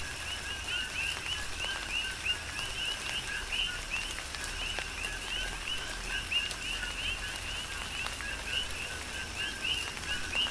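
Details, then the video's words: Dense night-style chorus of coqui frogs during rain on Hawaii's Big Island: continuous overlapping whistled 'ko-KEE' calls at a high pitch, a lower tone beneath, accompanied by steady rain and irregular heavier drops. "Tropical Rain & Coqui"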